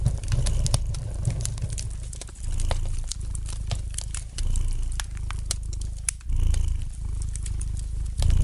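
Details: Gentle purring from a domestic cat: a continuous low vibrating hum rising and falling in breath-length waves, mixed with light, irregular crackling of a fire in the fireplace.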